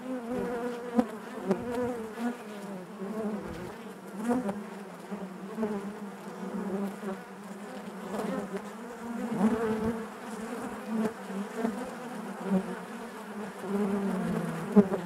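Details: Crowded honey bee hive producing a continuous deep buzz, wavering in pitch as individual bees pass close, punctuated by repeated small knocks and rustles.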